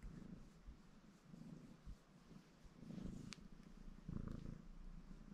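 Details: A contented ginger male Maine Coon named Baron purrs as he grooms himself. The soft, deep rumble rises and falls with each breath, punctuated by small licking clicks near the end.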